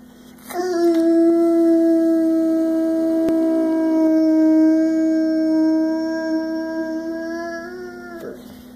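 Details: Boo, a six-year-old, 100 lb Boxer that loves to sing and howl every chance he gets, gives one long sustained howl lasting about seven and a half seconds, steady in pitch with rich harmonics, tapering off at the end.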